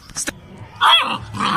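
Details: A Labrador Retriever puppy barks indoors: after a few soft clicks comes a short, high, yelping bark, then a rougher burst. A man's voice follows.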